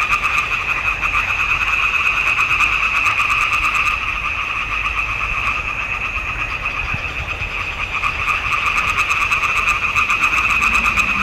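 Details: Chorus of frogs in a swamp pond, June 2021: a thick, unbroken wall of fast-pulsed croaking at two stacked pitches, about three pulses a second in rough rhythm, with a low rumble underneath.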